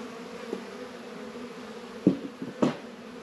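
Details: Low, steady hum of honey bees at a hive in a northern Kentucky apiary on a warm 72-degree February day. Knocks and thuds from hive work break in several times.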